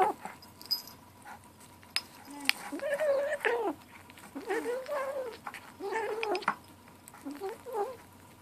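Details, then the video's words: Seven-week-old gray kitten named Ashe vocalizing while eating at lunchtime: several drawn-out, wavering mewing growls, each lasting around a second with rising and falling pitch, interspersed with clicking chewing and clattering noises. "Kitten lunchtime talk"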